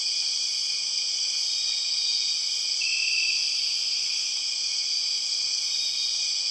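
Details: In Borneo's jungle, the empress cicada, the largest cicada species, produces a piercing continuous drone of several steady high pitches; a short extra whistle-like note appears midway, and the overall level stays level and loud.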